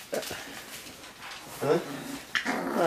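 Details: A Dachshund puppy litter at play with a Lancashire Heeler puppy, giving a few sharp rising yelps and whiny squeaks between soft scuffling sounds, while a person speaks nearby.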